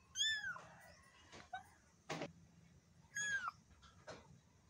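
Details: Two arching, high-pitched meows from a black kitten, the first dropping into a short trailing whine, separated by sharp knocks and clatters in a small indoor space.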